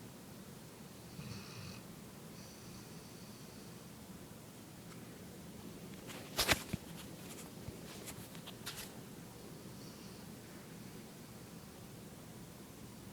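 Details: A pet dog dozes in her owner's lap. She gives soft, wheezy snores at intervals and a few light rustling clicks partway through, over a quiet room hiss.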